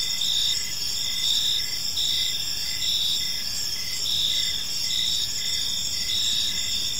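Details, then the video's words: Crickets chirping in a peaceful park as evening falls: a dense, steady high-pitched chorus of overlapping trills, with short pulsed chirps repeating about twice a second and a soft low rumble beneath. "Cricket Sounds in a Peaceful Park"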